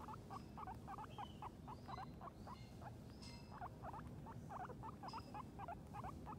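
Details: Guinea pigs Sheik and Penny outside for the first time, grazing on grass; rapid, regular short squeaks, about three per second, with brief higher whistled notes above and constant low background noise.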